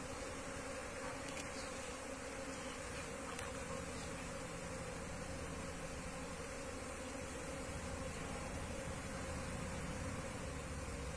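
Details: Many wild Asian honey bees buzz steadily as their colony is relocated into a hive box; a sustained droning hum with a few brief clicks and a low rumble underneath.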